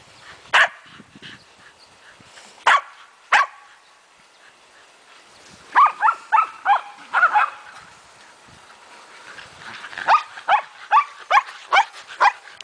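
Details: Four Shetland Sheepdogs, Maggie, Devon, Claire and Wynona, romping together while Maggie is about five days from having puppies: scattered loud barks, then a quick burst of yapping, a pause, and a fast run of repeated barks.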